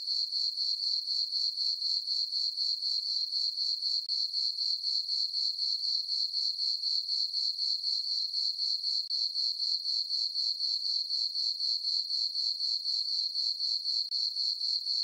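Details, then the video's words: Summer-night crickets in a moonlit farm meadow give a continuous high-pitched trill, beating evenly about four pulses each second without pause; nothing else is audible. "Cricket chirping sounds for sleeping"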